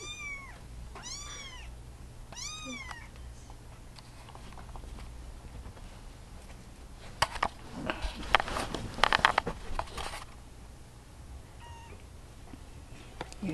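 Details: Baby Russian Blue kittens at a place that socializes kittens, around feeding time: three high, arching kitten meows in quick succession, then rustling and handling noises and a faint later mew.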